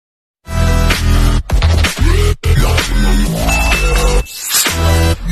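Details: Loud electronic dance music with heavy bass and choppy breaks throughout, no animal voice.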